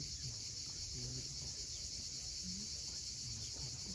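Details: At sunset on Crimea's steep Cape Fiolent coast, cicadas hold one unbroken high-pitched hiss; a few short low murmuring tones and the dull wash of waves sit beneath it.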